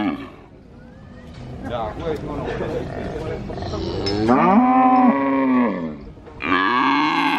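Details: At a cattle market in Purwokerto, Indonesia, a calf calls persistently: after a murky stretch of market noise, a strong drawn-out moo arcs up and down, followed by another bright, loud moo starting near the end.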